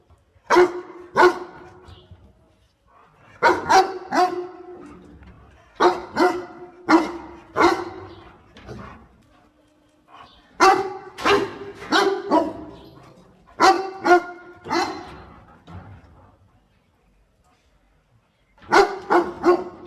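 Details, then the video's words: Barking dog assisting its owner in picking water spinach; sharp barks come in clusters of two or three separated by pauses, ending with a long silence and a final pair. "5 Minutes Barking Sound - Smart Dog Heping Owner Picking Water Spinach"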